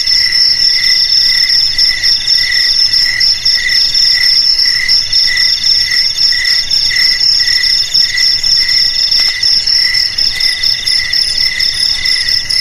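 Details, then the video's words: Continuous shrill chirring of crickets, used to drive rats from houses, garages and fields, with a high ringing trill layered over a second pulsing voice and a faint brief click midway. "Suara JANGKRIK"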